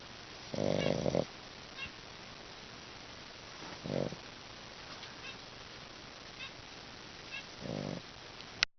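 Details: A Pekingese dog snores in rough, rasping breaths spaced several seconds apart, and a pet finch briefly sings.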